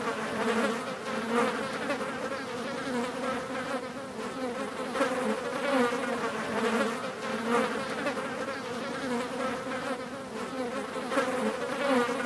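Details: Several flies buzz continuously in a steady, layered drone with a low hum and brighter overtones, swelling and fading every second or so as the insects move closer and farther.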